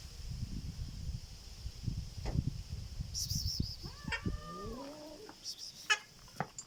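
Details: Black domestic cat making a strange sound: a brief cluster of curved, wavering tonal notes that rise and fall, following rustling and low thumps, with a faint steady high whine in the background.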